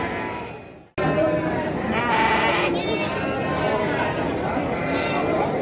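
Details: Garut sheep ewes at the Andir sheep and goat market in Garut, recorded 5/4/2021 during a morning trading session; a wavering, harmonic bleat rises above constant crowd chatter and bargaining voices after a brief silent cut.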